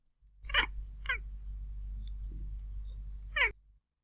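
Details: A domestic cat gives three short, high, trilling chirps, unevenly spaced over about three seconds, against a low steady hum; a prey-directed, hunting-instinct chirp, such as at birds outside.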